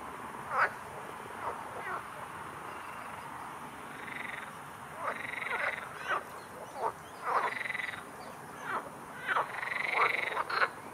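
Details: Several frogs croak in the background at a pond where a young Eurasian coot feeds, rasping, nasal bursts, some drawn into quick chuckling runs, calling every second or two over a faint steady hiss.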